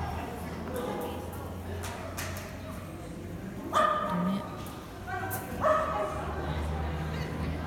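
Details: Manchester Terrier barking during a jumpers agility run at a breed club trial on April 13, 2019; two sharp barks about two seconds apart amid crowd noise and a handler's voice.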